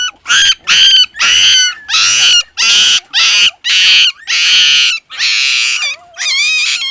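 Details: Crying puppy, one of a litter of six, squealing in loud, shrill, evenly spaced wails, about nine cries in seven seconds, each harsh and high with a slight wobble, the last ones thinner and more tonal.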